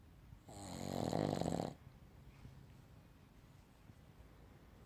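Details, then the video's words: Boston Terrier dog snoring while asleep indoors: a single loud, rasping snore of about a second, buzzy with strong low harmonics and a hiss on top, then quiet breathing. "Boston Terrier snoring"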